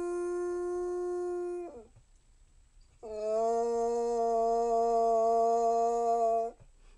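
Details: Prolonged Basset Hound howl: a steady tonal note dropping away, a brief pause, then a louder, level howl held for about three and a half seconds before cutting off.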